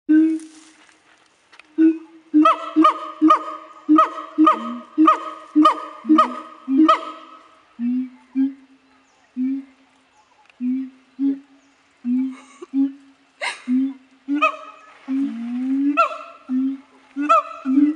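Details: Siamangs at Dubbo zoo calling in a long series of loud, hooting notes, some rising into barking whoops, in quick rhythmic bursts about every half second, with brief pauses between phrases.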